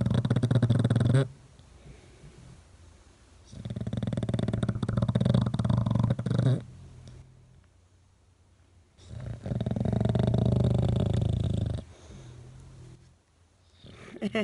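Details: English Bulldog asleep against its owner's cheek, snoring loudly in regular cycles: three long, deep, rattling snores, each lasting two to three seconds, separated by quieter breathing pauses.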